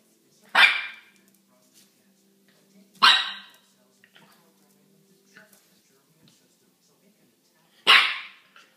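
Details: 10-week-old male French Bulldog puppy seeing himself in a mirror for the first time, giving sharp, raspy barks spaced a few seconds apart; finding: French Bulldog.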